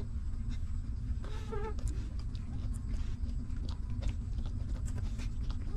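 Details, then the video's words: Newborn puppy of a stray mother dog at feeding time, suckling milk: one brief wavering whimper of about half a second, with a steady deep rumble and soft clicking suckling noises underneath. "Hungry Puppy Sucking Milk"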